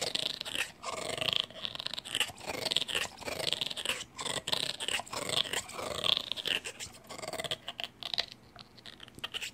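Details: Bulldog chewing eagerly on a chew; continuous wet gnawing and crunching with snorting breaths and occasional low grumbles, close to the microphone.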